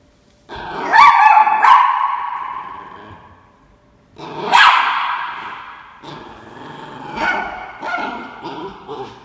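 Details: Ernie, a Norfolk Terrier puppy, standing his ground with rough growls broken by sharp yappy barks, three loud bursts spread over about nine seconds.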